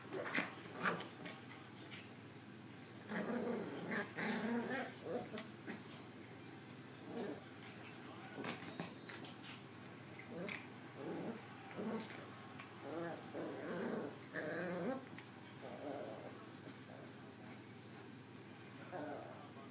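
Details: Pair of Maltese puppies playing inside, Zoe smaller and starting the tussle; repeated short growls and grumbles, some whiny, with thumps and rustling throughout.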